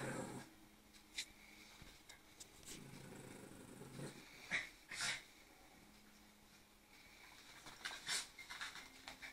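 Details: A Lhasa Apso pup and an adult play, giving short, irregular growls and sharp yaps in bursts with soft breathing between.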